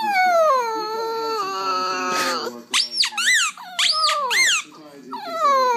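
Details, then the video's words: Puppy howling indoors, a young dog learning to howl: a sustained falling tonal howl, then several high, arched squeaky yips in quick succession, with human voices in the background. "Cute Puppies Howling Compilation"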